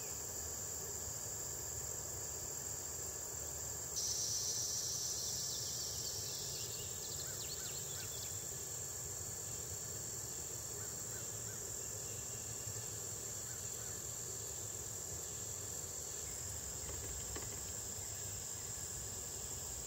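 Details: Red-headed bush cricket in 2010 at the State Botanical Garden of Georgia, Athens, USA. A continuous shrill insect trill sounds throughout, and after about four seconds a second, slightly lower buzzing insect voice joins for several seconds.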